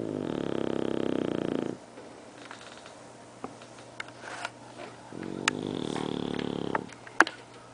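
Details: Bulldog snoring: two long raspy, rumbling breaths about 1.7 seconds each, separated by a quiet gap of several seconds with faint clicks and small knocks in a quiet room.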